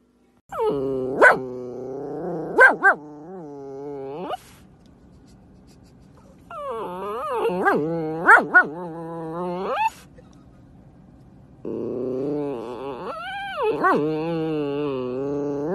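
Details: Siberian Husky during play with a baby, three bouts of low, wavering, moaning howl-talk with sudden upward yelps, separated by quiet pauses.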